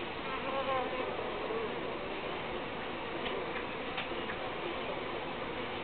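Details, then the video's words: Continuous buzzing of uruçu bees, a thick hum with brief higher wavering tones early on and a few faint ticks near the middle. "Abelhas Uruçu"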